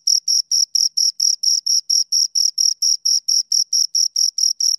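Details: Pair of crickets producing rhythmic high chirps, evenly spaced pulses roughly four per second, bright tone with a thin upper band, nothing else audible.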